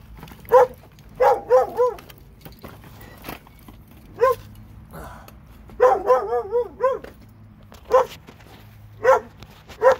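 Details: Barking from two dogs in Alabama: a quick cluster of barks, a single bark, then an excited rapid series of wavering barks and a few spaced barks to finish.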